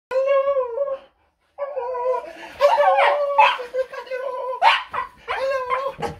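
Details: An overjoyed Cocker Spaniel gives excited, tuneful whines broken by short yelps as it greets its owner.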